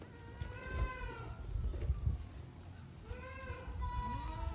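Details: Baby goats hopping and grazing on grass; repeated quavering bleats, one long at the start and a second series after three seconds, over rustling and low background noise.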